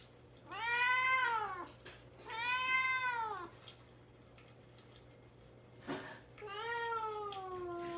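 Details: Caged house cat Mamedaifuku, fasting ahead of his neutering operation and wanting out, gives three plaintive meows; the first two arch up and down, the last rises then slides into a long descending wail.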